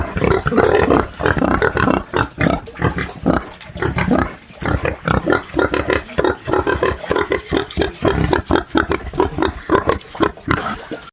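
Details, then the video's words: Farm pig grunting steadily at close range, a rapid run of short, low, rough grunts in dense bursts with brief pauses, nearly continuous throughout, no other clear sounds. "SOM de PORCO RONC RONC"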